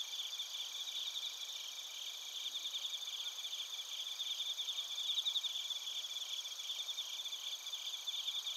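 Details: Night-singing crickets and bell crickets from Narita in Chiba, Japan, recorded with a TASCAM Portacapture X8: overlapping shrill, bell-like trills pulse steadily at several pitches, with occasional brighter chirps standing out.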